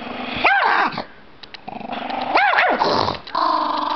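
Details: Angry pet Chihuahua after being made mad, giving a steady rasping growl broken by two sharp, arching barks about two seconds apart.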